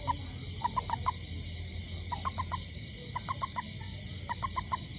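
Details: Toad out after rain looking for ants near a house: bright pulsed notes in runs of four or five, repeating about once a second, with continuous high insect drone behind.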